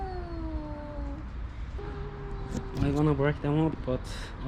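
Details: Two homeless male cats, one a tuxedo, yowl at each other over a watching female house cat on private property, posturing rather than fighting; long, drawn-out falling howls, then a man talking over the end.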